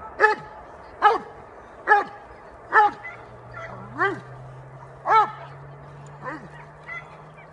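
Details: Dobermann aged almost five, sired by Dante delle Querce Nere out of Fanta Unreachables, during bite training in October 2015; deep, harmonic barks repeat roughly once a second, with a steady low hum beneath.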